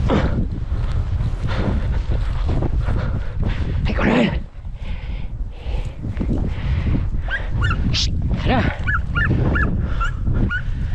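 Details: Podenco hounds out hunting give short, high yelping barks amid rustling while a man calls and urges them on to search and chase the quarry.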